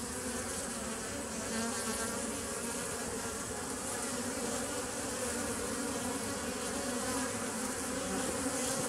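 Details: A constant bee drone, recorded 27 September 2018, forms a rich, buzzy hum with bright upper overtones that stays steady and loud throughout.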